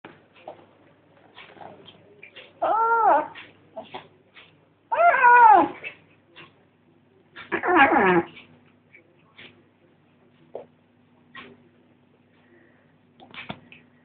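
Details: Female cat making noises while eating, possibly guarding her food from her brother; three loud drawn-out wavering growly meows about every two and a half seconds, between quiet chewing clicks and a low steady hum.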